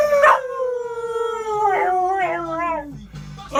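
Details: A blue heeler (Australian Cattle Dog) service dog "sings" with its owner to "Who Let the Dogs Out." It gives one sustained, tonal howl that glides downward over about three seconds and wavers before fading, with brief louder bursts and music playing along.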